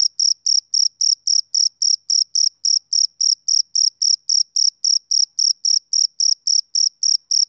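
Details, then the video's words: A male cricket chirps in crisp, shrill pulses, evenly spaced at close to four per second throughout, with nothing else audible behind the regular rhythm. "Cricket Chirping Sound Effect"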